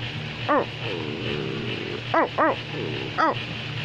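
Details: American Pit Bull Terrier barking: four short, sharp, ringing barks. One comes alone, then a quick pair, then a last single bark. Softer wavering whines sound between them over a steady low hum.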